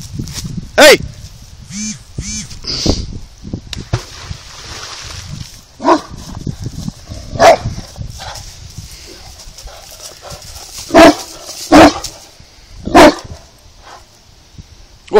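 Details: Saint Bernard, easily scared, reacting to a little rock near water outdoors; deep harmonic barks come singly or in quick pairs, scattered across the stretch, while people call out to the dog and music plays underneath.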